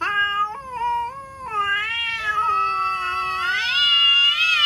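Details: Cats threatening each other: long, drawn-out wailing yowls that waver and slide in pitch. Several steps rise and fall, and the voice climbs higher and grows louder toward the end. The background is quiet.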